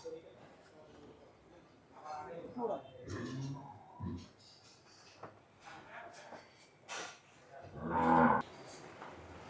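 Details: Pied (pakra) cattle sold for Qurbani; a low lowing moo heard in a few drawn-out bursts, the loudest near the end, while men talk in Bengali admiring the animal.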